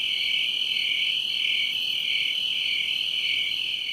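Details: In midsummer in the northern-hemisphere countryside, apparently Vermont, a cricket keeps up a steady, high-pitched trill that swells and fades gently without pause, making a racket.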